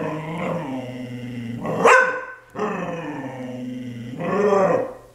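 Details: Pet dog playing, giving long drawn-out growling vocalizations in three bouts, each lasting over a second, with a brief sharp yelp-like burst in between; indoor setting, no other clear sounds.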